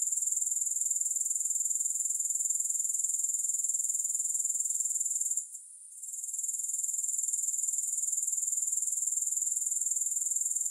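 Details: A dense, sharp, high-pitched insect trill from grasshoppers, evenly pulsed about four times a second, with a short gap around the midpoint before the steady chirring returns. No other sounds.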